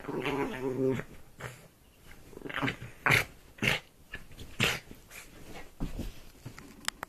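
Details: Dog killing a duvet, making strange sounds: a low rumbling growl at first, then rough snorting, huffing bursts and ragged growls in an irregular stream, with rustling of fabric throughout.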